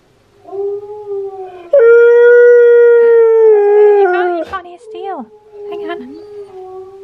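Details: Key the husky reacts to Steel the husky's singing: a quiet rising note swells into a loud, sustained howl that holds for over two seconds, then bends down in several quick yelping slides before a softer, low tail.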